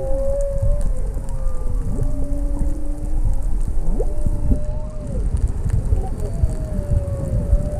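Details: Humpback whale song off Maui, heard underwater near a sea turtle: long, moaning tones that slide up and down, with low underwater rumble beneath.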